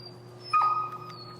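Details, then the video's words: Finn, an extremely vocal dog, during e-collar recall training: one short, thin, high whimper about half a second long, steady in pitch and then fading, over a low steady electrical hum. "Working An Extremely Vocal Dog"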